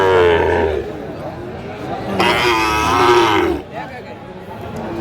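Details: Sahiwal bull calf at a cattle market in Cumilla, Bangladesh, on 15 January 2025; drawn-out harmonic moos, one early and a longer one around the middle, with music and market chatter behind.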